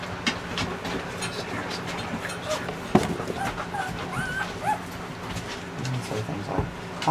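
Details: Newborn Weimaraner puppies give short, high squeaky whimpers, several bending upward then down in quick succession midway through, while a woman talks softly nearby over a steady low hum and faint clicking sounds.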